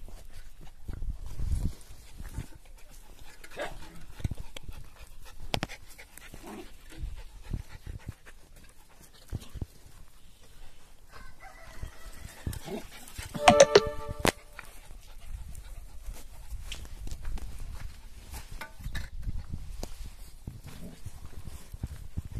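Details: Five corgis let out of their enclosure to run and exercise; soft rapid panting and scuffling run throughout, broken by one brief, bright harmonic yelp midway, with human voices talking in the background.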